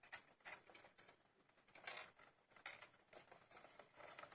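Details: A litter of 15-day-old hamsters, eyes open and starting to eat on their own, chirp loudly with high squeaky bursts overlapping in quick succession.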